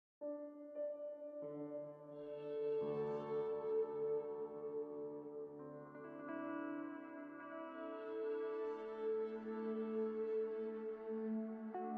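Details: Calm ambient music with sustained synthesizer chords and ringing tones, and no animal voice.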